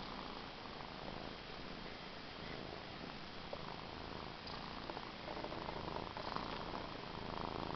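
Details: Close, even purr from a pet cat named Cookie, a dense low rumble running without pause and growing slightly louder in the final seconds.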